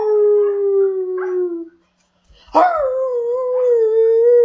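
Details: Pet Siberian Husky making its funny vocal sounds: two long tonal howls, the first falling gently over nearly two seconds, then a brief pause and a second howl that starts with a sharp rising yelp before levelling into a steady wavering tone.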